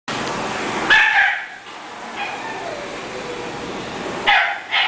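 A French bulldog lets out a quick, high-pitched bark, then falls quiet before two more snappy yips near the end. A constant low hiss runs underneath throughout.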